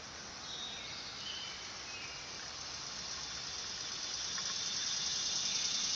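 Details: Neotibicen canicularis, the dog-day cicada, in summer: a sizzling high buzz that starts fairly soft and grows louder and denser over the last two seconds.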